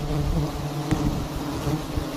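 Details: Steady low hum of many honey bees at a huge wild nest hung in a tree in a palm garden, droning bands with a single brief click near the middle.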